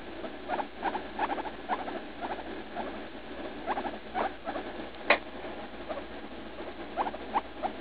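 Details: Leslie, a pet guinea pig around three years old, in pain while defecating after her favorite leaf lettuce treat. She makes clear separate squeaks in clusters of two or three, with one sharp louder shriek near the middle.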